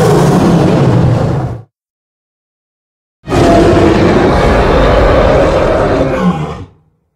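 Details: Lion roaring in the wild: a deep, rough, broadband roar lasting about a second and a half with low humming bands, a pause of silence, then a second harsher, louder roar held for over three seconds before fading.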